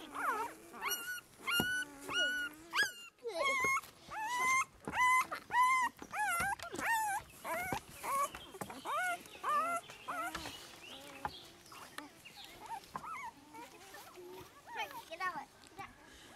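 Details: Spring 2016 litter of newborn Great Pyredane puppies, Great Dane crossed with a herd-guarding dam, giving rapid runs of high, rising-falling squeaks and whimpers, nearly two a second, fading into softer, scattered mewling cries toward the end.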